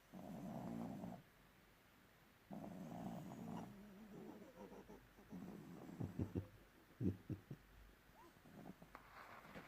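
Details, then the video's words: Sleeping young bulldog giving two long, rough, low snores, then a run of short snuffling snorts and breathy puffs near the end. "Young Bulldog is snoring"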